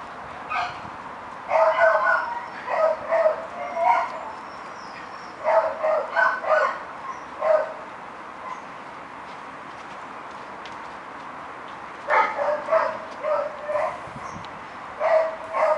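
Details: Foxhounds in a garden give bursts of loud, harmonic barks and yelps in clusters of several quick calls, separated by quieter pauses, while a person speaks nearby.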